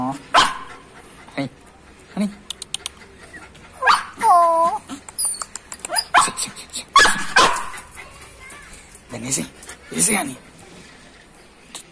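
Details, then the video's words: Lhasa Apso, jealous of stray dogs, giving loud barks and a drawn-out whining, yelping cry with wavering harmonics, mixed with short sharp bursts and people talking in Spanish. "Lhasa apso got jealous of stray dogs..."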